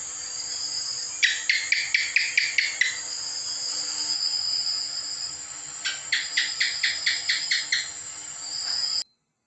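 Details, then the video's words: House gecko (cicak) voice in two bouts: about eight rapid, clicking chirps, a pause of several seconds, then a second run of about nine, with a steady high-pitched hum throughout. "efek suara cicak"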